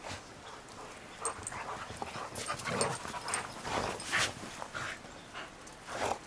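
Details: Best friends Roe and Bella, rescue dogs (Shar Pei and Bernese mountain dog–pit bull mix), tussle playfully in snow, giving rough huffing growls and snorts that cluster between two and four seconds amid scuffling.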